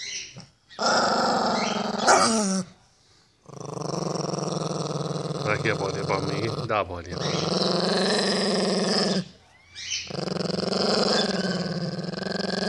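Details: Pinscher defending its ball growls in three long bouts of several seconds each, a buzzing pulsed rumble separated by short silences, with a person speaking Portuguese over it.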